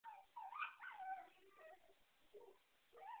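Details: A small pet Beagle barks wildly, giving a rapid string of hoarse, howling yelps and short wavering barks with a few brief pauses, sounding muffled and narrow as if recorded on a phone.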